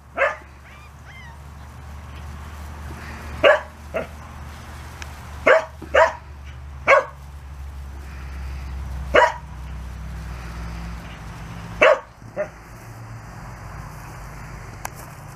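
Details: Pembroke Welsh Corgi puppies, 34 days old, playing outside for the first time; short sharp yips and barks scattered across the recording, about ten bursts with quiet gaps, over a steady low background hum.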